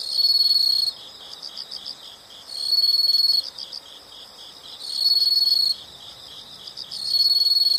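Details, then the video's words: High-pitched insect calling, loud continuous buzzy trills of roughly one second separated by softer rhythmic pulsing chirps, repeating about every two seconds in a quiet natural setting. "the sound of insects"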